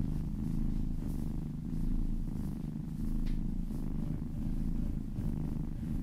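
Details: Little kitten purring contentedly under a gentle massage, a low buzzy rumble swelling and fading in breath-length waves, with a brief light rustle midway.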